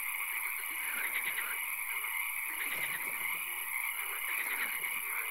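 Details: Swamp frogs at night, with occasional rain: overlapping rapid pulsed croaks rise and fall in clusters, with lower throaty notes and an unbroken high-pitched drone throughout.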